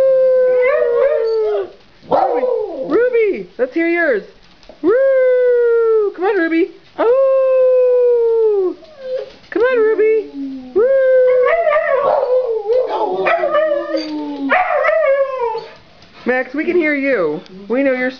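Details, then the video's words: Pet Siberian Huskies howling together as a greeting while their owner coaxes each dog to join in; repeated arching howls, some long and level, others short and bent, in overlapping choruses with brief pauses. "Husky Greeting"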